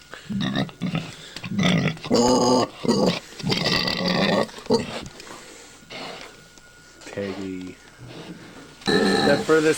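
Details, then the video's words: Domestic sow on a farm in Collinsville, ready to give birth and making a nest, gives loud broken grunting squeals in bursts, interrupted by a person talking and faint music. "pig making funny noises as shes ready to give birth"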